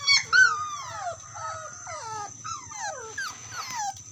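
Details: Dog calling its friend with drawn-out, wavering whines and howl-like cries that bend downward, some overlapping, broken by brief pauses, and a steady thin electronic tone running underneath.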